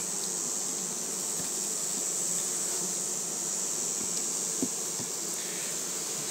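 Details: Honey bee colony just after being made queenless, recorded 7 February 2020: a steady, diffuse low hum from many bees inside the hive, with a constant hiss above it and a few faint clicks.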